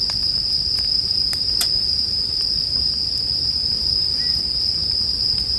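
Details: Bell cricket trill rings steadily at a high pitch while a campfire crackles, with several sharp pops in the first two seconds and a low rumble of fire beneath.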